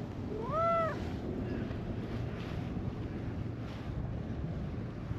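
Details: Brown-and-white stray cat in a park follows a person to a bench, then rolls belly-up and acts affectionate. A single clear meow lasting about half a second, rising then falling in pitch, over a low rumbling outdoor background.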